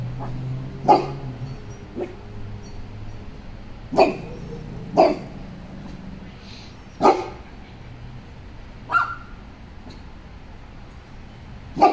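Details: Guarding its property against intruders, a Cane Corso, joined by a Pocket Beagle, gives single booming barks spaced one to two seconds apart, about eight across the stretch, over a steady low background hum.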